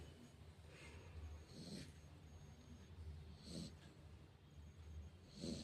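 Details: A Rottweiler sleeping sprawled on a lap snores softly, with a breathy rasp about every two seconds.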